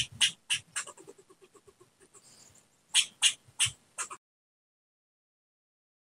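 A squirrel gives harsh, raspy chattering bursts, about eight in quick succession, then a pause and four louder barks before silence.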